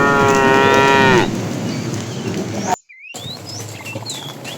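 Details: Fat cow in a tame herd being herded in the afternoon, calling the female: one long, loud moo of about a second, steady in pitch before sliding down at the end, followed by broad hissing background noise.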